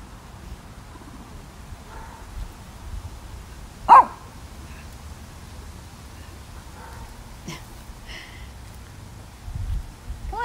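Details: Lacey, a Shih Tzu, barks as if conversing with another dog: one sharp loud bark near the start, then a few fainter yips and a brief whine-like call, while a woman speaks to her softly in a quiet room.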